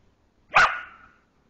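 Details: Border collie Moxie barks once at a young deer she discovered and roused in the forest during a walk, wanting to play; one abrupt, loud yap trailing off quickly.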